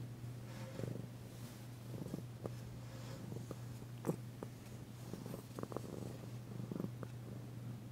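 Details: Low continuous purring from Danci, a female cat still tentative but loving a massage, February 9, 2022; soft clicks and rustles of handling sound over the steady rumble.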